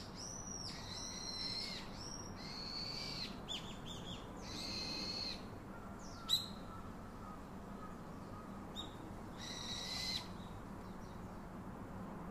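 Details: Baby monkey calling its father for comfort: a series of high, thin, strained cries in separate bursts, some with a steady tone, others broken and scratchy, with pauses between them and a quiet background hiss.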